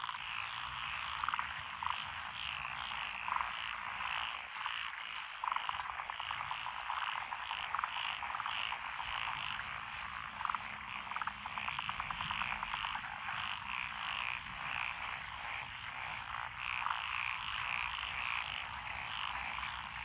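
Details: Lotus rice paddies in Echizen, Fukui, Japan, recorded 12 June 2021, with tree frogs, pond frogs, wrinkled frogs and green tree frogs. A thick chorus of rapid rattling croaks and trills, with occasional sharper high notes breaking through.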